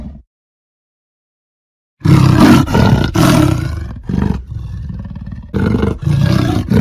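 A leopard gives deep, rasping, rumbling bursts, coarse and throaty like a big engine turning over.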